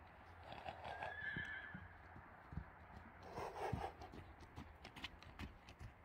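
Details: Akhal-Teke horse whinnying: a shrill, high tonal cry early on, then a broader, lower call a couple of seconds later, with hoof clip-clop and thuds throughout.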